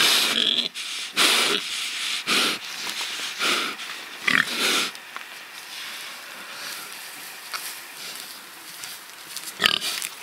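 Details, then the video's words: Pigs kept free rather than slaughtered, rooting and truffling; short noisy grunts and snorts in bursts through the first five seconds, then quieter snuffling with a final sharp squeal near the end. "Awesome PIGS Squealing 🐖 Grunting 🐖 Rooting 🐖 Truffling 🐖 Oinking Piggie"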